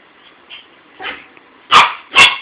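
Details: Buddy, a pet dog, barks at his toy in a phone recording; after soft faint sounds, two loud, abrupt barks land about half a second apart at the end.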